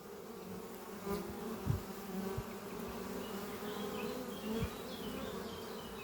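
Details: Workers of the honey bee hive Doppio, under trees in spring, buzzing in flight on a morning as they bring in pollen; rich low hum with passing louder bees and scattered faint high bird notes.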